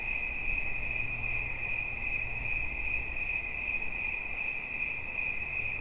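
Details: Cricket chirping steadily in a continuous high, narrow-pitched trill, pulses blurring into an unbroken ringing tone, with a low rumble of background noise underneath.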